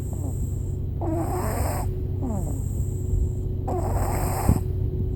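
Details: Jasper the pug snoring while asleep in a car: raspy, noisy snore bursts of under a second each, repeating roughly every two to three seconds over a steady low rumble of car noise.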